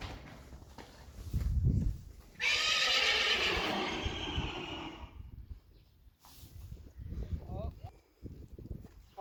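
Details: Friesian horse during the first ride again of the sport mare Reintje: a long, loud, shaky neigh of stacked harmonics lasting about three seconds and slowly falling away, framed by hoof thuds and Dutch speech before and after.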